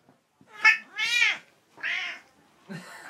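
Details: A pet cat that seems to hold conversations with its owner meows indoors: a short bright chirp, then a longer rising-falling meow and a third meow, with a few quiet sounds from the owner at the end.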